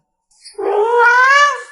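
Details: Pet cat indoors, coaxed to show how much it wants a meat treat, answers with one long drawn-out meow that rises gently and holds steady before fading, clear and loud with a quiet room behind.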